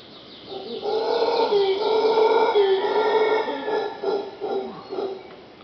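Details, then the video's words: Howler monkeys calling outside a bedroom at Pachamama Caribe, Punta Uva, Costa Rica: a loud, deep, harmonic roaring howl sustained for several seconds, breaking into throbbing pulses near the end before trailing off. "Audio of howler monkey"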